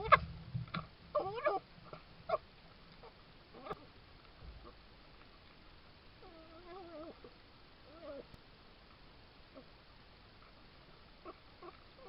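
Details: Red fox on a Suffolk garden trail camera, 19–20 July 2022: soft wavering whines and mewing calls, with a few sharp clicks and a sneeze.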